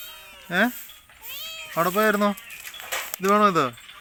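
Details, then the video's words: Two strange kittens introduced indoors that dislike each other and fight: three drawn-out, harmonic meows, the last a long wavering cry, with a thin whistly tone between them. "Angry Kittens whom hate each other"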